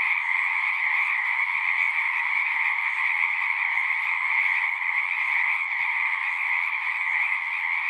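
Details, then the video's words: Frogs singing en masse at a horse-pasture pond, taken with a Zoom recorder: continuous overlapping trills make a bright, droning chorus, with a few faint low clicks underneath. "Frogs singing"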